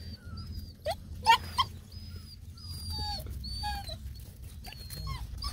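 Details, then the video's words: Black and Tan x Bluetick Coonhound puppies, seven of them, playing with a large caterpillar; thin high whines and squeaky whimpers rise and fall in short bursts over a low rumble of background noise, with a person speaking softly. "7 COONHOUND PUPPIES take on a massive CATERPILLAR"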